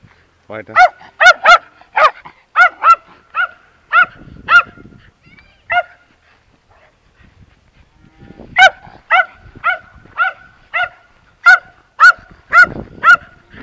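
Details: A terrier named Timmy barks in two bursts of short, sharp, evenly spaced yaps, roughly two per second, separated by a quiet gap; a person speaks German nearby.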